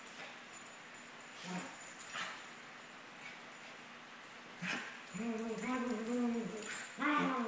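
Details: Two 17-month-old Maltese dogs, Sunny and Moony, playing together: short sharp yips near the start, then a wavering, whiny vocalization that rises and falls, ending in another quick yelp, over low room background with faint jingling.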